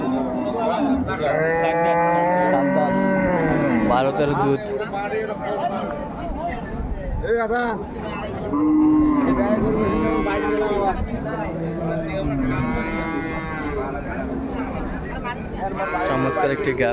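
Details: Repeated lowing from cattle at Ambari market, a haat selling improved-breed dairy cows, calves and pregnant cows on 21 May 2024; a series of long, wavering moos separated by short pauses, over crowd voices and market bustle.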